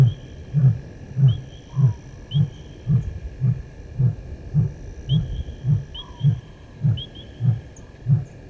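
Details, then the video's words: Male lion crossing a dam wall at dusk on a game reserve in Sabi Sand, South Africa: a long train of about fourteen deep, short grunts spaced roughly half a second apart, fading slightly, with faint high chirps in the background. "Lion-S8 Male crosses dam wall-roars-out far side Open Area"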